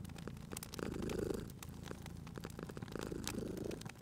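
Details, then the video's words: Cat resting near an open fire purrs with a warm, vibrating rumble that builds to a peak, fades, then returns, while crisp crackles and snapping embers sound in the background. "Cute Purring Cat at a Crackling Fireplace"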